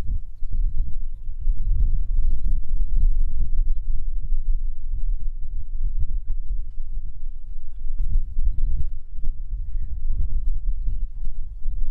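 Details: Heavy low wind buffeting and rumble, as from a vehicle on a game drive, with no animal calls.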